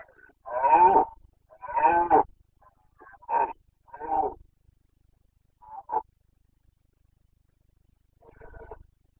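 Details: Carpathian stag, a red deer, bellowing in the Bucovina mountains, Romania, during the 29 September 2022 rut: two long, hoarse, deep roars followed by shorter grunting bellows that trail off into quiet, then a faint final groan.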